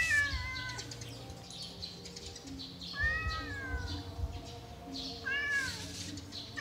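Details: Yellow cat being played with, meowing three times: a short falling meow, then a longer wavering one, then a brief rising-falling cry, with faint background hum and rustling between calls.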